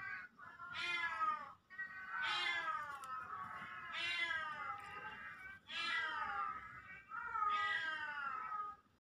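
A Siamese cat gives a run of long, loud, drawn-out meows, one about every second and a half.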